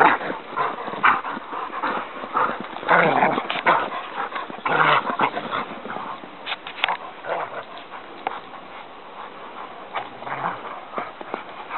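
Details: Several dogs romping on an unexpected snow day, with scrappy growls, yips and whines in uneven bursts, loudest in the first five seconds, then quieter, scattered noises.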